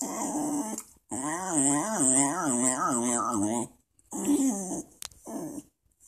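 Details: A talkative Welsh Terrier gives a long, wavering, moaning vocalization with rising and falling pitch, like a singsong grumble, lasting about three seconds, followed by two shorter similar moans indoors.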